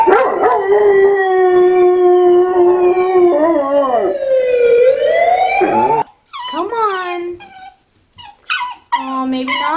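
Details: German Shorthaired Pointer howling: long, steady, slightly wavering tones that bend down and rise again, then a run of short, broken yelping howls with pauses between them; a human voice is also heard.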